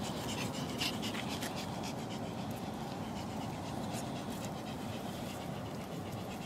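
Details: Ricky, a young Pomeranian from a Kyiv kennel, wanders off on his own while panting steadily in soft, rapid breathy bursts over a continuous background hiss.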